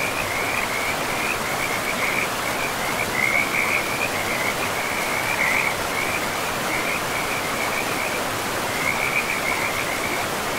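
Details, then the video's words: A frog chorus near a forest river: thin, rattling trills repeat almost without pause, some louder bursts standing out, all over a broad wash of running water. "River and Frogs sleep sounds"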